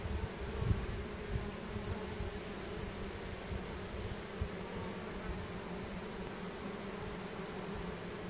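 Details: A honey bee swarm entering its new hive, bees marching in while fanning Nasanov pheromone; a soft, steady mass hum of many bees, fairly level in loudness, with low background rumble.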